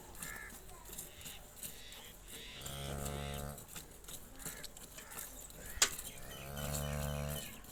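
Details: Cholistani Jersey cross cow offered for sale, giving two low, drawn-out moos of about a second each, separated by a few seconds, over a quiet background of murmuring and faint rustling, with one sharp click.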